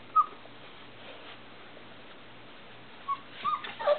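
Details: Sassy and Gotti's Irish Setter puppies, aged three and a half weeks, wanting out of their box: a sharp short whimper, a quiet pause, then a cluster of thin, brief whines near the end.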